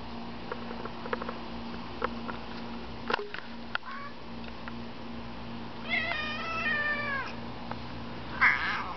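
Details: Pet cat on a balcony barking at a pigeon. Scattered sharp clicks, then a long, strained, wavering harmonic cry near the end, followed by a brief second cry, over a steady low hum.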